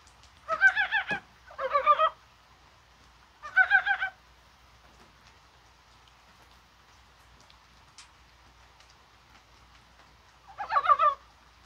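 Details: Korean brown frogs croaking in rain on January 21, a spring-like day, perhaps during spawning; four separate bursts of rapid, throaty pulsed notes, the last after a long quiet gap.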